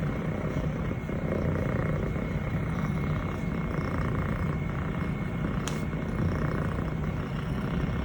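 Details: Elle, a six-month-old female Scottish Fold kitten (fluffy longhair, brown tabby and white), purring while her owner pets her. A continuous low rumbling purr runs steadily throughout, with one brief sharp click midway and a faint steady high tone.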